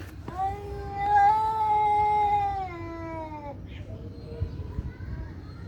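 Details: A fighting cat lets out one sustained, strained howl of about three seconds, held level and then dropping slightly before breaking off, followed by faint quieter sounds over a low hum.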